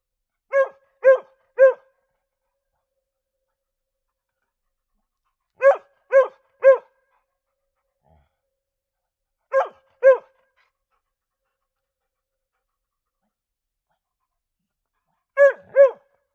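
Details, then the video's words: Mixed-breed dogs, two of them, giving sharp barks in tight bursts of three, three, two and two, with long silent gaps of several seconds between bursts. "Two Mixed Breed Dog Sound Effects"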